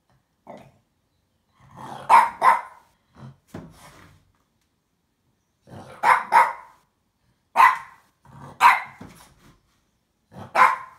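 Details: A female French Bulldog barks at a box she wants to fight, short, gruff barks in loose bursts, some doubled, with brief growly notes and snorts between.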